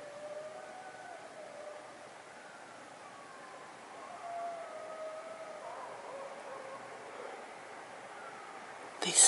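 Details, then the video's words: Eastern coyote family howling in the night in central Massachusetts on October 21, 2012: faint, overlapping wavering howls that slide up and down and trail off in long tones, ending with a sudden sharp noise. "Coyote Family Central Massachusetts Howling in the night"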